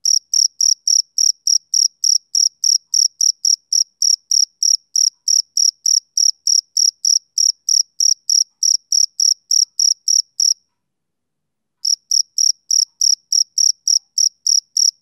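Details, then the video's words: Steady chirps of a male cricket, summer evening: bright, high pulses about three and a half per second, broken by a short pause of about a second near the end before the rhythm resumes; nothing else audible. "Cricket Chirping Sound Effect"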